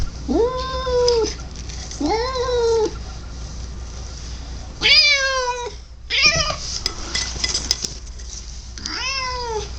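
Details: Pet cat making weird noises: a run of drawn-out, nasal meows, the first two level and sustained, then a higher sharper cry and a final wail, with a constant low mechanical hum from the camera underneath.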